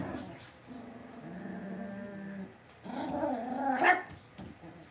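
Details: Cavalier King Charles Spaniel puppies in a home puppy pen, giving a drawn-out low whine followed by a rising, wavering squeal that ends in a sharp high yelp.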